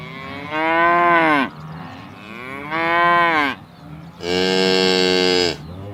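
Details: Cow in a field lowing: three loud, rich moos with a gently arching pitch, each lasting about a second, the last one brighter and more strained, with a quiet pause between calls.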